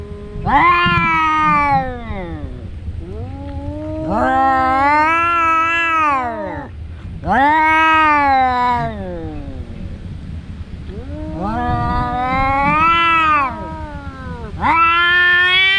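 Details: Two domestic cats, brothers who fight every day, yowling during a fight: long drawn-out wavering howls, each lasting one to two seconds, in five rising-and-falling bouts separated by short pauses over low background rumble.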